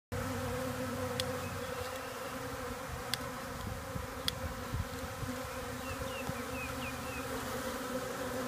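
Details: Many honeybees hovering around near a hive on orientation flights, learning where home is. A steady, droning buzz with layered tones runs throughout, broken by a few sharp clicks, with faint high chirps near the end.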